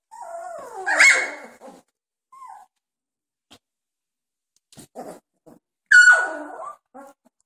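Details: Doberman pups aged 2.5 weeks playing with each other; a growl rises into a loud high yelp, brief quiet scuffling, then another sharp squealing yelp that drops away into a grumble.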